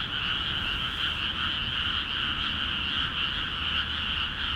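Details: Numerous frogs calling vigorously from water-filled paddies in Akiha Ward; overlapping trilling croaks merge into a constant two-toned drone, slightly wavering, no other clear sounds.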